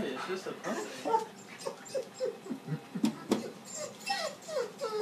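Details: Puppy whining on her first day in a new home while an older dog meets her for the first time indoors; soft high whimpers and short yips repeat irregularly, mixed with a woman speaking gently.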